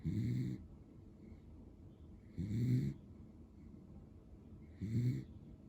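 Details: Asleep, Pero the male Beagle with a lemon and white coat gives three deep, throaty snores at a steady pace, roughly every two and a half seconds. Each one is a short grating rumble, with near silence between.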